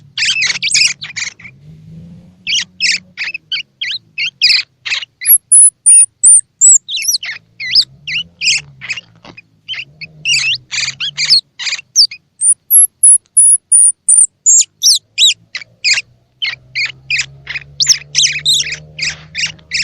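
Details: Baby squirrel sounds for encouraging feeding in young squirrels whose eyes are open or not yet open: rapid, repeated scratchy chirps with scattered piercing high whistles, over a faint low hum in places.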